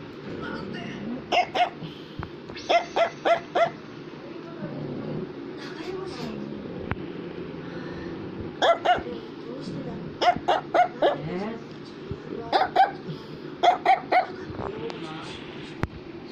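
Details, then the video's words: Affenpinscher, the toy German monkey terrier, barks repeatedly in short volleys of three to five sharp yaps, separated by pauses filled with household talking. "Affenpinscher is Barking"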